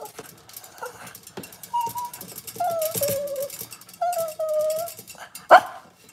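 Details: Cavalier King Charles Spaniel puppies on a kitchen cam on a cloudy Monday morning give thin, steady whimpers, each held about half a second, falling slightly in pitch, over soft household rustling and a sharp knock near the end.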